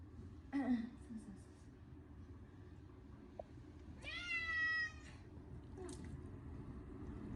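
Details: During a yearly bath on a hot day, short-legged Munchkin cat Chacha lets out a clear, harmonic meow lasting about a second. Faint human murmurs and quiet room noise surround it.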